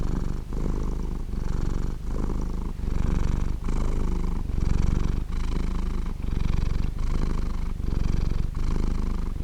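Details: A cat purring steadily and close up, a deep rumbling purr with soft breathy pulses about every 0.8 seconds, the rhythm of the cat's breathing, with no other sounds.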